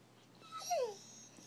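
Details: Bullmastiff puppy, a female named Lily, indoors while being talked to, gives a thin high whine that slides downward over about half a second, with faint room noise around it.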